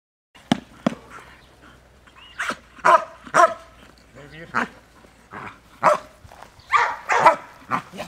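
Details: Dog during bitework training, giving sharp, short barks in irregular bursts about every half second to second, mixed with human voices and shouts.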